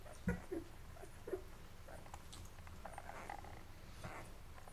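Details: Mocha's Labrador Retriever puppies, day 11, feeding and then settling to sleep. A few short, low squeaky whimpers come early, followed by quieter rustling and wet clicking from nursing against a low indoor hum.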